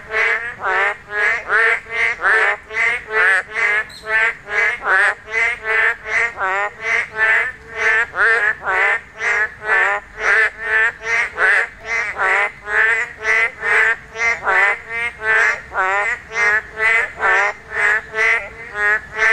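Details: Korean narrow-mouthed toads calling while spawning, the only time their cries are heard. Short, harmonic, nasal croaks come in a steady rush of about two a second, many animals overlapping.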